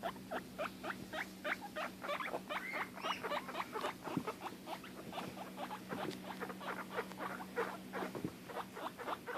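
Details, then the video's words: A female guinea pig gives rapid, repeated squeaky calls, several each second, upset because she cannot see or find her sister. "Guinea pigs making noises"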